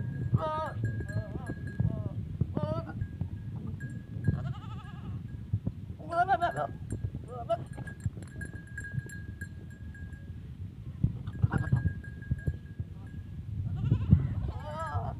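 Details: Goats at a first mating with a teddy goat, Punjab, Pakistan; several short tremulous bleats spaced across the recording, between stretches of people talking, low thumps and a constant high-pitched hum.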